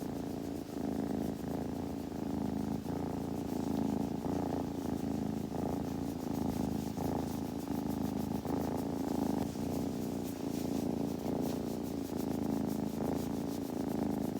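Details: Long unbroken purring of a kitten, a low throbbing rumble rising and falling slightly in loudness over fourteen seconds, with scattered soft clicks and rustles.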